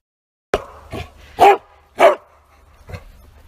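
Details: A Bearded Collie out on a walk barks all-out: loud, sharp barks, two strong ones close together and fainter yaps around them.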